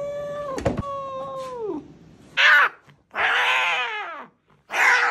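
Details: At the vet clinic, an angry cat lets out one sustained howl that slides down in pitch, followed by three harsh, raspy bursts of hissing and growling with brief silences between them.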